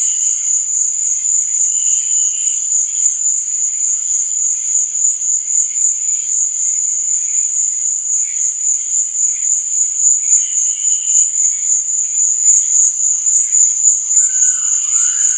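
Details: Crickets at night give a relentless high-pitched trill, layered over quieter, lower intermittent chirps, with a short sliding phrase rising near the close.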